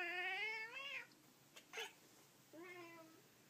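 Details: Impatient indoor Persian cats eyeing a toy held up beyond their reach: a long tonal meow bending down at its end, a brief soft chirp, then a shorter, quieter harmonic mew trailing off.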